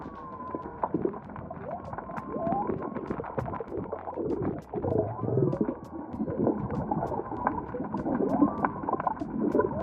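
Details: Humpback whale song recorded near the southern cape of Baja, Mexico, during the humpback migration: drawn-out moaning tones and sliding whoops over a dense underwater wash.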